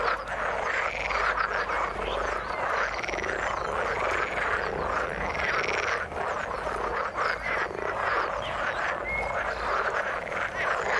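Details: Frogs call in the water in a dense chorus, with rhythmic, bubbling croaks swelling in regular pulses about once a second and a short sharp note heard near the ninth second.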